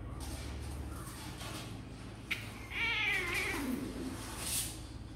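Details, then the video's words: Sor and Kapov's kittens, eager to come out and play: after faint soft mews, one loud quavering meow lasting about a second rises and fades, followed by a brief high squeak amid a steady indoor background hum. "Sor and Kapov kittens update - Looks like they really want to come out and play"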